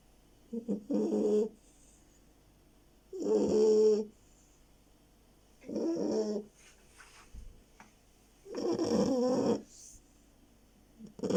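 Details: Sleepy pet beagle asleep and snoring, raspy rattling snores roughly every two and a half seconds, some with a whistly, nasal edge, plus a soft snuffle between breaths.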